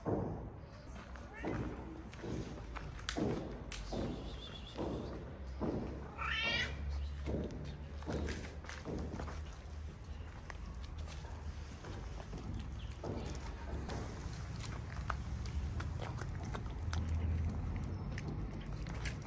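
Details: Homeless street cats in a Moroccan neighborhood, cute but unwilling to get close to each other; one drawn-out meow with strong stacked harmonics near the middle, amid a person speaking, footsteps and low urban background rumble.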